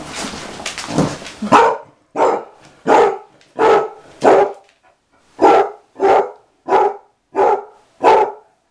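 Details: Dog of about six or seven, an outside dog learning to be an inside dog, barking in a steady series of about a dozen loud barks, roughly one every half second to second, with brief pauses.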